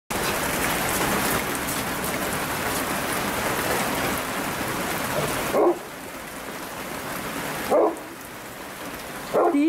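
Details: Golden Retriever; whines; asking to go for a walk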